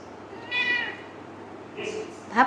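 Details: Kitten indoors calling for its owner: one clear falling meow, a second softer cry, and a brief squeak at the end, with a person speaking Bengali nearby.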